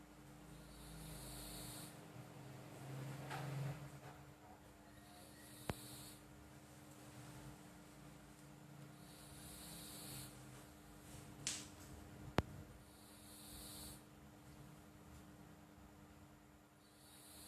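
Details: Flo, a pet cat, snoring while asleep: soft hissing breaths recur every couple of seconds with a low rumbling purr beneath, plus a few faint clicks and a steady background hum.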